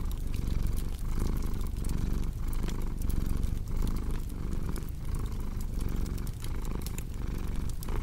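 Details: Domestic cat purring steadily, a low rumbling drone that swells and eases with each breath roughly every second and a half, overlaid by the sharp pops and snaps of a crackling fireplace.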